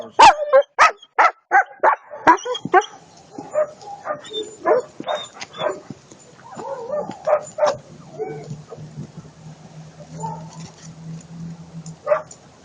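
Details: German Shepherd giving a rapid run of loud barks over the first three seconds, then quieter scattered yips and sounds with a low steady hum in the background.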